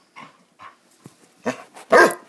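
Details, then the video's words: Playing Basset Hounds: a few soft huffs and grunts, then two loud, hoarse barks close together at the end. "Bassets playing"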